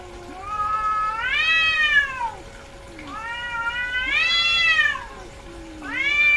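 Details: A female domestic cat in heat gives long drawn-out meows, each arching up in pitch then sliding down, about three wailing calls with quieter low moans between them and a steady faint hum behind.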